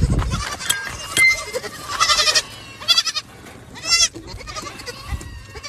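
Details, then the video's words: Young goats feeding from milk bottles: scattered short bleats with quavering harmonics among thumps, rustling and sucking noises, one clear wavering bleat near the end. "Chivos bebés tomando sus botellas de leche"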